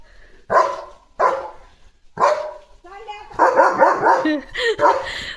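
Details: Leo the German Shepherd barks as he runs about his yard in the morning. Repeated loud, rough barks come roughly every second, with a tight cluster near the end, and human speech runs underneath.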